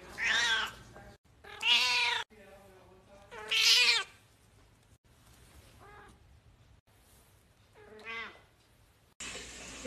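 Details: Domestic cat meowing in a series of loud, drawn-out harmonic cries, several strong ones early then softer shorter meows spaced a few seconds apart, with faint voices in the background.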